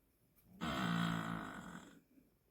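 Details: A dog named Kkangi snoring loudly while asleep, keeping another dog, Bami, awake; a single long, rasping, buzzy snore of over a second swells and fades in a quiet room.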